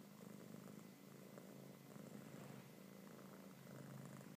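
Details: A kitten being petted purrs loudly, a low vibrating drone that swells and eases slightly with its breathing, steady throughout, over gentle handling sounds.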